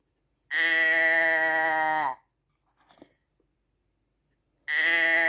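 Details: One full, steady sheep bleat with a slight falling end, followed by a pause with soft crunching and the start of a second bleat.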